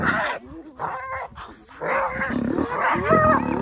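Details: Spotted hyenas, a clan coming together to rescue a clanmate from the jaws of a massive lion, on safari at Arathusa Safari Lodge in early August; bursts of harsh, chaotic, harmonic calls with short gaps, some rising whines, and deep growly undertones.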